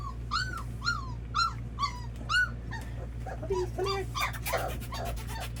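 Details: First feeding for a litter of red Labrador Retriever puppies; five clear, arched high whines in quick succession open, then quieter squeaks and clattering, lapping noise over a constant low hum.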